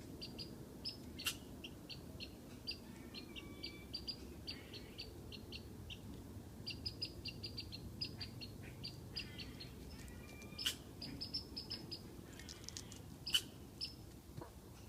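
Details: Squirrel up in a tree whistling to tease a cat below: quiet, brief, high chirped whistles repeated in irregular bursts throughout, over a steady low background rumble.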